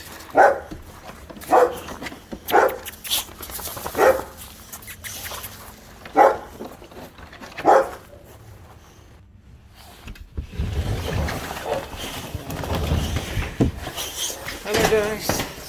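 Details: Boxer being picked up at dog daycare, with other dogs present: six loud single barks spaced one to two seconds apart, each with bright layered tones, then a stretch of rustling, movement and low handling noise.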